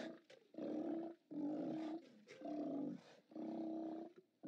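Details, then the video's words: Steller sea lions roaring at a haulout on 29 October 2017, captured by a live cam: four strong, rough roars of about half a second to a second each, coming roughly once a second. "Steller Sea Lions"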